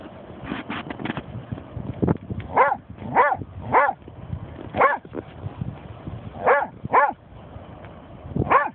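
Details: German Shorthaired Pointer named Snoop, found with a dead seagull, gives loud arched barks and yips at irregular intervals, some in quick pairs, over a low rumbling background.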